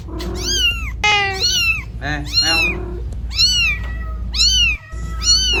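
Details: A cat lost in the middle of the road, searching for its kitten, gives short arched meows in quick succession, about one per second, some higher and thinner, over a steady low rumble of traffic.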